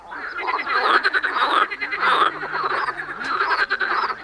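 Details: Frogs in a dense, continuous chorus of raspy, rattling croaks that overlap without pause, with a few brief higher tonal notes mixed in.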